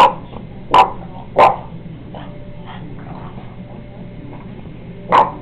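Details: A female Boston Terrier gives sharp single barks, a quick pair and then one more after a pause, barking at a painting of another dog from the household shown as a puppy.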